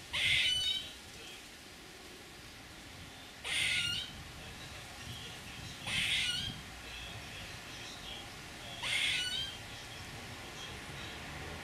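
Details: Squirrel giving short, harsh, hissing rasps of about half a second each, spaced roughly two to three seconds apart, four in all, over a quiet steady background.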